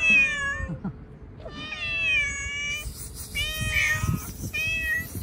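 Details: A hungry cat outside being fed cut fish gives long, drawn-out meows, about four of them, each level or gently falling. A faint steady hum and some rustling sit in the background.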